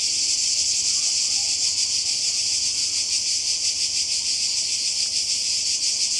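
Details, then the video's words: Cicadas by the sea in Croatia during a 2020 summer holiday, a dense, steady high buzz with a fast shimmering pulse running unbroken throughout, no other clear sounds. "Kroatien Zikaden und Meer"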